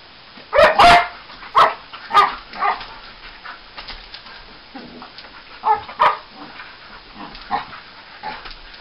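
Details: Male English Springer Spaniel making odd noises while wrestling in play indoors: scattered short yelping and grumbling bursts, a pair of loud yips near the start and more at intervals, with quieter rough huffs between.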